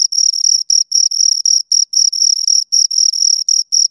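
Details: Two crickets chirping close up, a loud high-pitched trill broken into short pulsed bursts around five to seven per second, with a fainter overtone band above; no other sounds.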